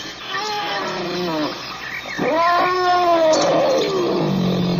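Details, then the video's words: African elephant voicing layered, wavering tonal calls that rise and bend over about five seconds, growing louder midway and ending in a lower steady drone. "African elephant sound effect"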